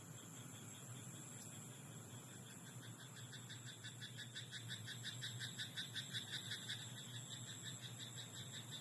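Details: Frog croaking in a rice paddy at night: a rapid train of dry, pulsed croaks builds in the middle and swells, then trails off, over a steady high whine and a low background hum.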